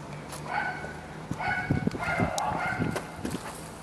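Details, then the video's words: Samoyed puppy talking with a Labrador: a run of drawn-out, whiny, moaning vocal sounds, rising and falling, mixed with soft clicking and shuffling noises throughout. "Filhote de Samoieda conversando com labrador/ Samoyed puppy chatting with labrador"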